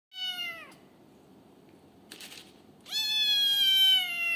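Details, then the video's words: Hungry six-week-old female kitten demanding food, just an hour after eating: two high, drawn-out meows, the first falling and cut off, the second rising then held steady and long, in a small quiet room. "Kitten yelling FEED ME NOW!"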